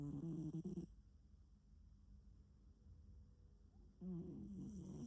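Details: Domestic cat snoring indoors: low, rumbling breaths with bands near 150–300 at the start and again after four seconds, separated by a quieter pause in between.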